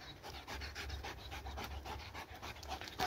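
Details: Dog worn out from a long laser-pointer chase, yet never giving up; quick, even panting with airy huffs several per second and a short faint squeak near the close.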